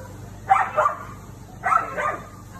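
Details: Siberian Husky, female, barking as she confronts the neighbour's cat: two short, sharp bursts about a second apart, each a harsh double bark with no other sounds above a low background hum.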